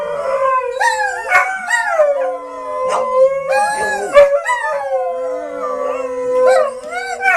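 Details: Howling dogs said to want a walk: several overlapping drawn-out, wavering cries that bend up and down and are broken by short yelping bursts, with background music.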